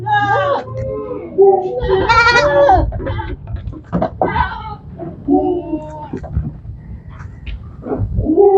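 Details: On a goat farm, goats bleat in shorter, scattered wavering cries over a steady low rumble and clattering background noise.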